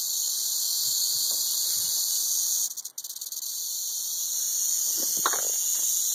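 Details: Southern Pacific rattlesnake (Crotalus helleri) rattling in a continuous high, hissing buzz that briefly falters and stutters near the three-second mark, then resumes at full, even strength; a soft low knock sounds near the end.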